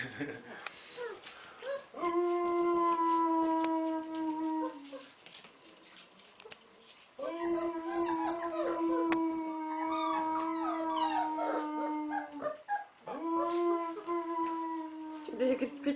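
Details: Wolf pup howling while a man teaches it to howl: three long, steady, even-pitched howls of about two to five seconds each, separated by short pauses, with faint human voices and rustling between them.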